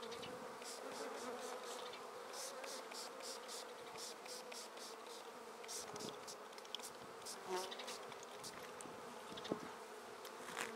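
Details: Swarming honey bees, shaken from a tree straight into a swarm basket, make a dense continuous hum. Faint ticking and rustling run through it, and one brief sharper knock comes near the end.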